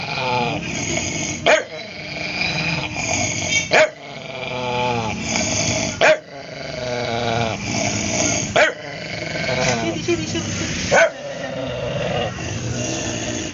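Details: Rumbling, drawn-out growls from Cody, an adopted ex-stray aspin, rise and fall in pitch, punctuated by short sharp barks roughly every two to three seconds, with a voice speaking in the background.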